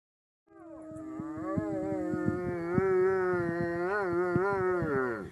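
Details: Boots, a pet German Shepherd dog, gives one sustained, howl-like vocal lasting about five seconds. It starts abruptly, holds a steady mid pitch, and wavers up and down in a rich, harmonic, whining tone.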